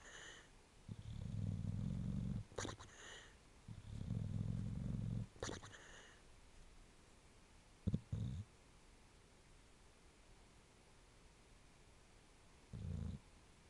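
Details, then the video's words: Sleeping bulldog snoring and percolating like an old coffee maker, long low rattling breaths of about two seconds each with brief pauses, sharp snorts between them, then quieter single snorts later in a quiet room. "Snoring & Percolating"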